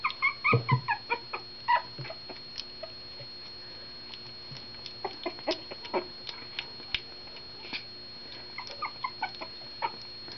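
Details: Two of four rescued puppies feeding for the first time; a cluster of short squeals and grunts at the start thins into scattered faint squeaks and soft clicking sounds over a steady background hum.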